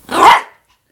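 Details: A pet Yorkshire Terrier playing and frolicking gives one sharp, loud bark lasting about half a second, followed by silence.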